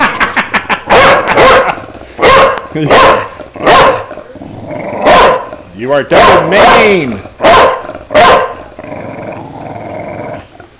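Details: Bulldog during play, barking again and again in short explosive bursts roughly once a second, with a person's voice and a few higher yelping, wavering sounds mixed in.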